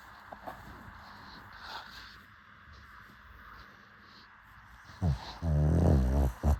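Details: Sleeping pug dog snoring indoors: several seconds of near quiet with soft breathing, then a loud, rough, low-pitched snort-snore burst lasting over a second, followed by a short second snort at the very end.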